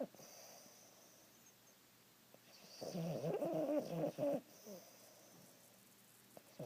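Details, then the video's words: Boston Terrier asleep on a couch and dreaming, giving a loud rattling snore lasting about a second and a half mid-clip, with soft breathing before and after in a quiet room. "Boston Terrier dreaming and snoring!!"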